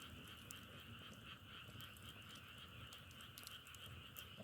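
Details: Many frogs calling at once, a bright unbroken wall of pulsing trills at two pitches, with frequent sharp crackles from a wood fire scattered over the top.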